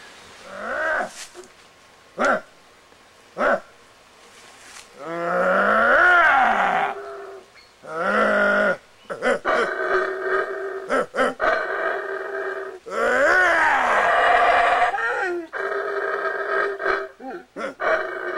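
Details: Wild howler monkeys in Belize, close to a person feeding one. Brief speech comes first, then long, rough, roaring howls with rising and falling harmonics, repeated in bursts of two to three seconds.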